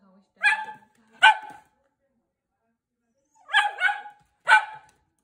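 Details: Pet Italian Greyhound on Awaji Island, Japan, vocalising as if speaking: two sharp, bright barks, a pause of about two seconds, then a quick cluster of three more barks in a quiet room.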